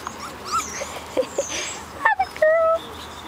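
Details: Four-week-old Portuguese Water Dog puppies out for their first time outside: short high whimpers and yips, then a thin sustained whine rising and holding near the end, over a person speaking and light background hiss.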